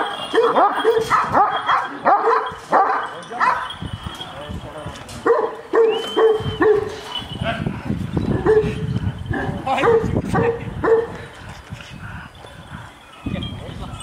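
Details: Giant Kangal dogs, described as aggressive, barking at one another: deep, harmonic barks in rapid runs about twice a second, with pauses between bursts. Men talk in Turkish throughout.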